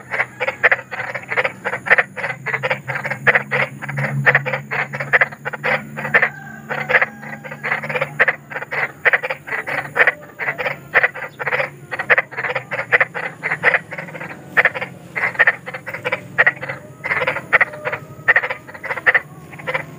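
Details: Sustained chorus of large frogs outdoors: clipped, grating croaks repeated rapidly and almost continuously over twenty seconds, with a light background murmur.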